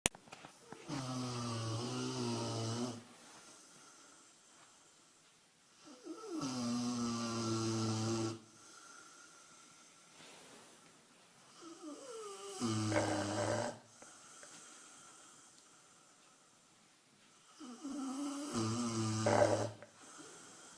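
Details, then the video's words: A 155-pound Rottweiler snores loudly, each rumbling, rattling breath lasting a few seconds. "LOUDEST ROTTWEILER SNORE!!!!"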